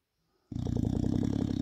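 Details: An English Bulldog snores with his eyes open, a low, rattling rumble that flutters in quick pulses.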